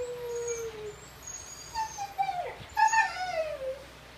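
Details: Indoor Husky howling as if talking along with the television, a Kintamani dog also present: drawn-out tonal howl notes, the first sliding slowly downward, then wavering rising and falling wails with whimpering inflections, steady low hum behind.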